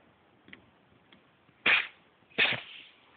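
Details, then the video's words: Monkey the house cat caught mid sneezing fit, two loud explosive sneezes about a second apart after faint snuffling, in a quiet room. "Cat Sneezing"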